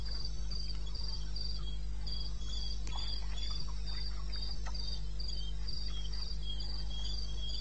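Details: Cricket from the eastern Botswana wilderness, recorded around 2:30 in the morning in May, giving a quick, regular run of shrill chirps, a fainter lower caller alternating, and scattered soft ticks over a low hum.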